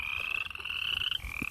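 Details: Frogs calling close by near a farm stream just before falling silent, said to be talking to each other; a steady high-pitched trill holding level for over a second, then a short break and the trill resuming.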